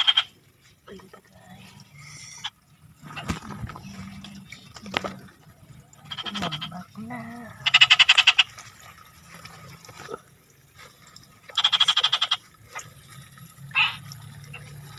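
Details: Frog calls come irregularly across the stretch, with short pulsed rattling bursts and single rasping croaks separated by pauses. Faint low rumbling and murmuring sounds run underneath.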